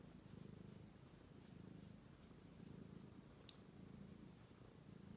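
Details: Romeo, a sweet British Shorthair kitten, purring nonstop while asleep indoors; a steady low rumbling purr pulses in even waves throughout, with one brief sharp click midway.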